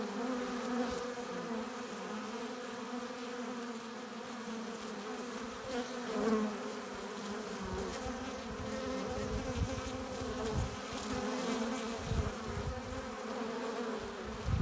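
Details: Many honey bees around the hive entrance returning with pollen and nectar, making a continuous droning hum that swells and fades slightly as individual bees fly near.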